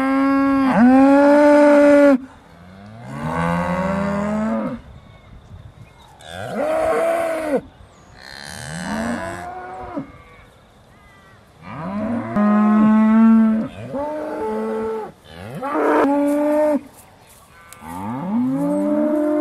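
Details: Several Aussie Red dairy cows at Beaulands, December 2012, mooing just before milking: long harmonic lowing calls that rise and fall, about six separate moos from overlapping animals with short quiet gaps.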